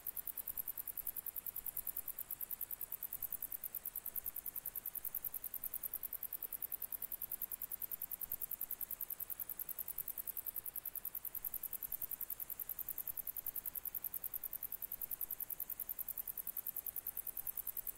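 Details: Long, uninterrupted grey bush-cricket song from July 2021: high, rasping pulses several per second at constant pace and loudness, with a faint low background rumble.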